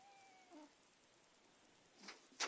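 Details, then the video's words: Margot, a Persian cat, attacking pen and paper: a thin steady tone fades out, then two short breathy snorts burst out near the end, the second louder and sharper, in a quiet indoor room. "Margot snorts & sniffles."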